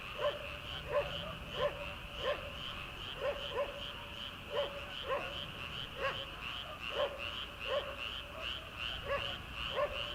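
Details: Frogs calling from rice paddies in early summer, before rice transplanting begins: a steady, shrill chorus runs beneath repeated short, punchy croaks about every half to one second throughout, with a faint low rumble of night air.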